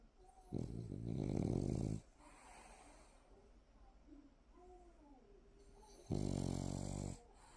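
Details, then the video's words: French Bulldog named Sikppang, sleeping and snoring: two loud, raspy, rumbling snores, the first lasting about one and a half seconds, the second about one second, separated by quiet breathing. "식빵이의 달콤한 꿈나라"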